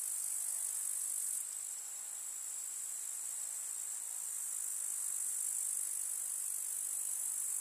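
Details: Meadow grasshoppers in summer, in the countryside: a continuous, piercing, high stridulating hum at nearly even loudness throughout, with a slight drop after the first second.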